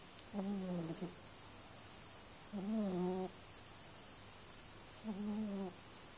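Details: Cat asleep and snoring: three buzzy, voiced breaths roughly every two and a half seconds, each a low hum with a stack of wavering overtones, near-silence between them.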